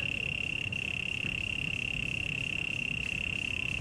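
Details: A cricket at Taipei Botanical Garden, Taiwan, sings a steady, high, unbroken trill that holds one pitch throughout, over a low background rumble; recorded around 2006.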